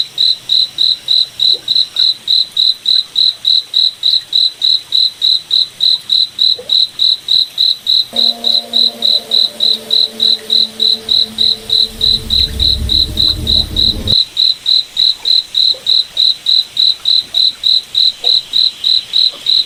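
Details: Cricket chirps in a forest at night, bright and regular, about three to four pulses each second throughout; midway a low hum joins, with a deep rumble swelling briefly before both stop.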